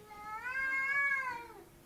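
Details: A cat, unseen, crying at night as it does every night: one long drawn-out meow that swells and bends upward, then sags and fades over about a second and a half, rich in overtones.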